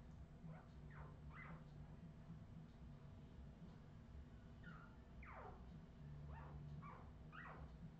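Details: Australian Terrier puppies from Redwing, recorded in 2018, giving high squealing whines that sweep steeply down or rise and fall, in scattered bursts over a steady low hum.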